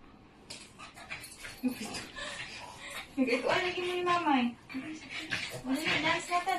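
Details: Haru, a pet Shih Tzu, whines while begging to be cuddled on 3/29/22: a drawn-out, tonal whimper that rises and falls, mid-clip, with several shorter whines around it and voices in a small indoor room.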